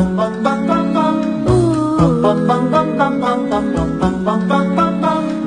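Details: Plucked-string music with steady rhythmic notes and possible singing plays throughout, and no animal sound stands out.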